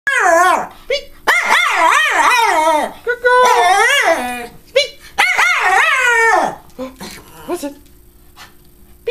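A Schipperke gives a series of drawn-out moans, each one swooping up and down in pitch with a warbling, almost talking quality. The bursts come in irregular runs with short pauses, fading to quiet at the end.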